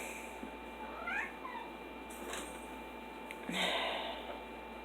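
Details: Female domestic cat indoors, calling repeatedly for attention while not being picked up; two or three short, faint meows, one curving up then down, spaced over several seconds amid soft room noise and a few clicks.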